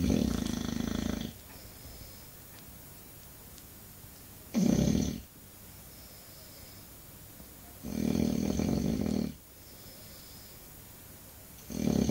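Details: English Bulldog snoring indoors: loud, rough, throaty snores in bursts of about one to one and a half seconds, separated by quiet pauses of two to three seconds, four snores across the stretch.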